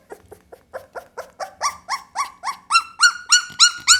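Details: Pit Bull puppy producing a rapid series of short, squeaky yelps, roughly three or four a second, starting soft and low and growing louder and higher-pitched over four seconds.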